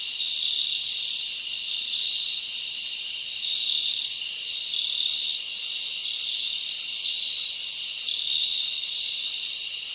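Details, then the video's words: Crickets sing through a summer night in the forest, their shrill overlapping chirps forming a dense, unbroken high buzz that wavers slightly in strength. "Live Crickets Natural Sound"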